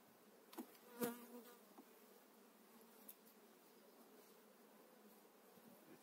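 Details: A spring 2018 hive transfer: honey bees on frames holding brood and the queen's fresh eggs give a soft, continuous low buzz. A sharp knock sounds at one second, and fainter taps follow.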